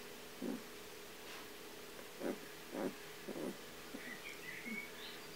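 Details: Trio of Kuvasz puppies, eleven days old, from the vom Crystal Diamonds litter, making short low whimpering grunts in bursts, about five within five seconds, followed by faint chirpy squeaks near the end.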